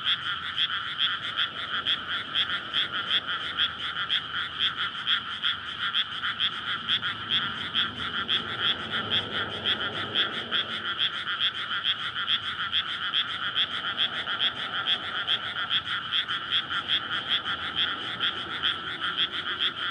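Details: Courting frogs massed in a water-filled paddy on a May night before rice planting, recorded on a Sony PCM-D100; continuous rapid croaking pulses overlap densely, with a passing vehicle's low rumble swelling mid-way.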